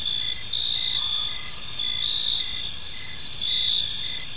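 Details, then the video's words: Crickets at evening in a park, shrill continuous chirping with pulsed bursts repeating under once a second, with a brief soft extra sound near the start and steady low background hiss. "Park Serenade: Cricket Sounds in a Peaceful Park | Evening Ambience"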